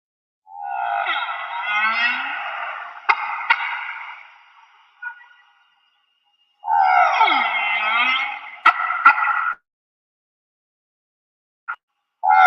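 A humpback whale sings long, wavering harmonic moans in phrases of a few seconds, separated by short pauses.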